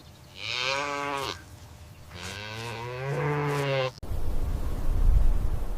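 A calf gives two nasal, bawling moos, the first short, the second longer and rising slightly in pitch, followed by a burst of broad rustling noise.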